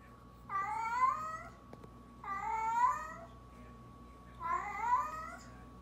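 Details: Orange tabby cat meowing indoors; three drawn-out, slightly rising then falling meows about two seconds apart, each lasting over a second, over a steady low background hum.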